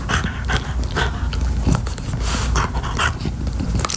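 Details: French Bulldog chewing a beef-flavored chew toy: breathy, rapid panting in bursts about twice a second, mixed with wet gnawing and chewing noises throughout.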